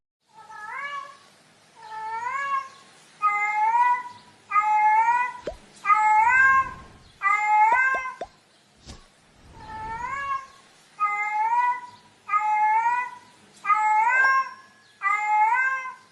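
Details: Female cat in heat meowing in a steady series, short upward-bending cries roughly every second, with a few sharp clicks and knocks in the middle.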